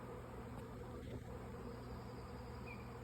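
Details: Airborne swarm of honey bees roughly 50 feet overhead, seen dancing around on May 24, 2024; continuous soft buzzing drone, low and unbroken, with a short faint whistle-like tone late on.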